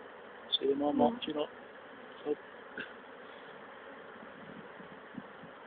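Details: Swarming honey bees, late April 2011, caught and re-hived in a poly nuc after the old queen swarmed: a continuous droning buzz, briefly overlaid by a human voice about one second in and a few soft knocks.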